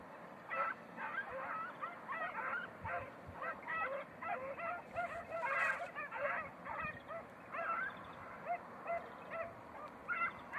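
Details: Beagles of red-blue tick and lemon-white colour chasing hare in training on Crete in 2021: almost continuous overlapping yelps and bays, clipped and wavering, repeated several times a second over a hissing background.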